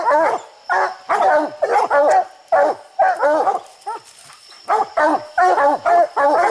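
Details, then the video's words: Raccoon hunting dogs barking treed on a slick, steep hillside; dense, overlapping hoarse barks in quick bursts, a brief lull near the middle, then rapid barking resumes, suggesting more than one dog. "Coons everywhere treed the furthest coon up a steep hillside"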